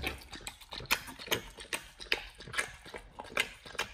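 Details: nomyen, a Pit Bull, crunches through a raw whole Thai duck on its first try. Sharp bone-cracking bites land irregularly, roughly two per second, with softer squelching chews between them.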